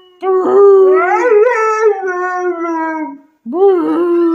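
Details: A Siberian Husky male in service dog training gives a long, wavering, tuneful howl, then starts a second one.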